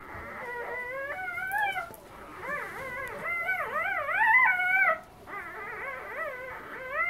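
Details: Three-day-old female Siberian husky puppy named Shiloh, loud while eating as her littermates sleep, giving a run of wavering, rising-and-falling whining cries and squeals, nearly continuous with a brief pause before five seconds.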